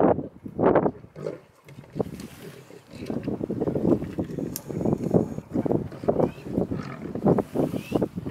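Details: Lionesses of a pride fighting over a kill in Mara Naboisho Conservancy, Kenya, on safari: rough snarling growls and grunting roars in irregular bursts, some louder peaks, with brief voices in the background.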